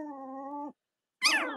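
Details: Cavalier King Charles Spaniel puppies from Robin and Myra's litters, indoors on a chilly Monday morning near Halloween in the US: a steady, level moaning cry, then a short harsh squeal after a brief pause.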